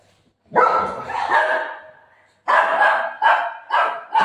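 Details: Golden Retriever named Buzo playing at home with its owner while opening a parcel; one long drawn-out bark-like yelp, a short pause, then four quick sharp barks in a row, with faint indoor background.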